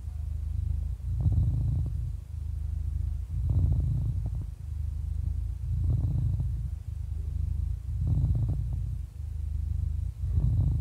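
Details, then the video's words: A happy cat, 11 years old, purring in a rhythmic low drone; loudness rises and falls in regular two-second breath cycles, each change marked by a short breathy rasp. "11 Years Old Happy Cat Purring"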